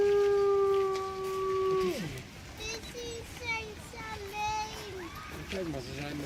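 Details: Grey wolves at Artis Zoo, 10-11-2013, howling to signal their location to pack members and ward off rival packs; a long level howl slides downward, then shorter wavering howls overlap while children and adults talk nearby. Recorded on an HTC One phone.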